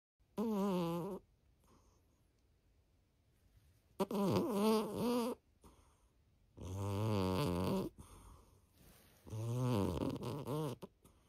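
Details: A pet orange cat snoring while asleep indoors: loud, buzzy snores about a second long, each with a rich harmonic tone, repeating every two to three seconds with quiet gaps between.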